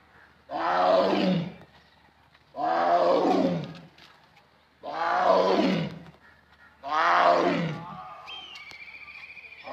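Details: Tiger roaring: four deep, powerful roars, each about a second long, falling in pitch at the end and repeated every two seconds or so with short silent gaps, and a faint higher tone after the last roar.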